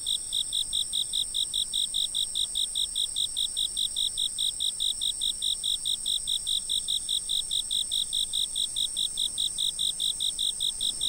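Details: Insect sound from a fixed camera: a very even, rapid train of high chirps, roughly two and a half per second, continuing without pause above a sustained piercing drone.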